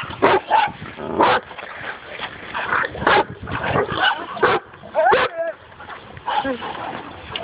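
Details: Dog facing a wild boar for the first time, with loud bursts of barking every second or so, a quavering, wavering yelp midway, and voices mixed in between.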